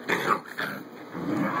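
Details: Puppies playing: two short rough growling bursts with yipping edges, a brief pause, then a lower grumbling growl, with a person talking nearby.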